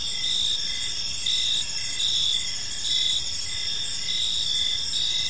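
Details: In a park at evening, crickets give high chirps in pulses about once a second over a steady shimmering insect hum.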